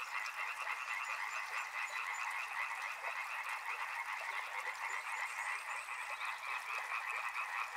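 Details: Numerous frogs croaking at once beside a river, a thick rhythmic rattle holding steady throughout, a few thin high notes drifting over it.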